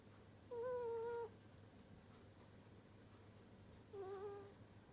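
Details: Sleeping ferret snoring indoors: two soft, nasal, whistle-like tones, the first held nearly a second and the second shorter and wavering, separated by a quiet gap over a steady low hum.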